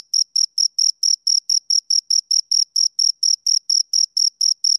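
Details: Crickets, two of them, give crisp separate high chirps, roughly four per second, each a short bright pulse with a weaker higher echo, against total quiet.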